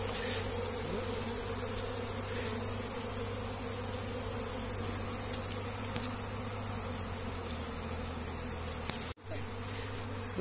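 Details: Many honey bees buzz around a hive being relocated by hand as they gather near their queen. A continuous low, even drone with layered humming tones holds for about ten seconds, broken once by a short silent cut.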